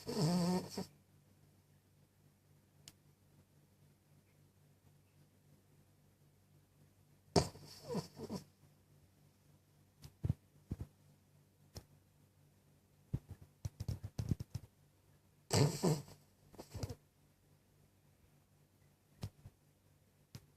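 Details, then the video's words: Cavalier King Charles Spaniel asleep and snoring, with irregular bursts: rough, hissing snores with a low rumbling core, spaced by long quiet gaps, plus scattered short clicks and snuffles in a quiet room. "Cavalier King Charles Snoring"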